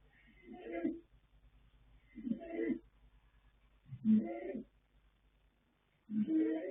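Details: Yanta, a colt foal born in January 2026, snores in his sleep with four rough, nasal, grating breaths at a steady pace, while the low background stays quiet.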